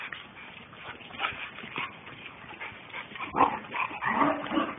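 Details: Two German Shepherds, Captain and Samantha, playing hard together: rough whining and yipping vocalisations come in irregular bursts, growing louder and more tonal toward the end, with scuffling in between.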